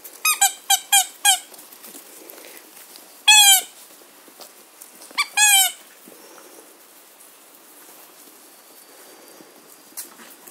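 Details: German Shorthaired Pointer puppies of the Katelands Gundogs litter playing in a garden on 22 September 2016: a fast burst of four harmonic squeaks, then two longer, louder squeals about two seconds apart, with a quiet outdoor background.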